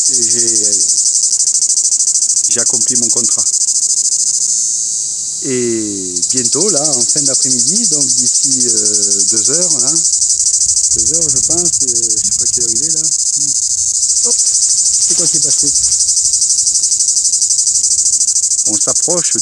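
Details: Two cicadas together in woods of the Alpes-de-Haute-Provence, a silent red cicada beside a singing great or grey cicada: a continuous loud, high buzzing hiss with no breaks, overlaid by much nearby speech.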